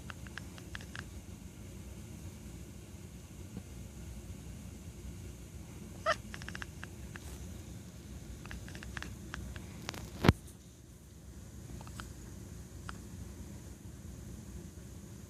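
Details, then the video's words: Pet cat named Neko sitting at a window, making clicking noises at birds and cars outside; faint, short dry clicks come in scattered bursts, with one sharper louder click near the end over a steady low indoor hum. "Cat Makes Weird Clicking Sounds"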